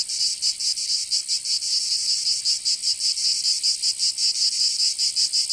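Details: Summer cicada song in Provence, southern France. A continuous high rasping drone throbs in uneven, slightly irregular pulses of loudness, roughly two to three per second. Nothing else is heard.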